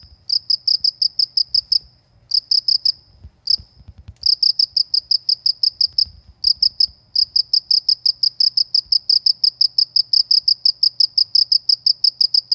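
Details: Rural cricket calling with rapid, bright, even chirps in bursts, broken by short gaps where a few soft low thumps are heard; after about four seconds the pulses run on almost without pause.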